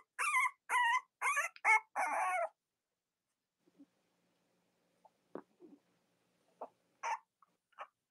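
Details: Cavalier King Charles Spaniel puppies from Robin and Myra's litters, on a chilly Monday morning near Halloween in the US. Five loud, squealing cries rise and fall in quick succession, then give way to quiet with scattered faint clicks and rustles.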